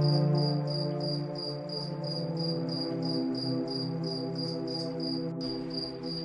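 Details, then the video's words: Crickets at night beneath the moon, chirping in quick regular bursts roughly four per second, high and shrill, blended with gentle ambient music holding long low chords. "Cricket Sound| Calming Night"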